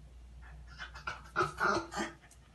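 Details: French bulldog looking for grandma, breathing in quick, breathy, huffing bursts that grow louder toward the middle, a few per second, with a faint low hum beneath in a quiet indoor setting.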